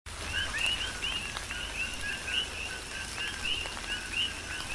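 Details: Chorus of coqui frogs during a tropical rain shower on the Big Island of Hawaii: overlapping two-note calls, a short lower note followed by a rising whistled upsweep, repeated continuously by many frogs, with steady rain patter and drips.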